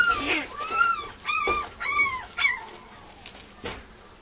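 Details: Mame Shiba puppies, two females, recorded at a breeder on March 9, give a string of high arched whines, each rising then falling, about five cries in quick succession with short gaps and faint background hiss.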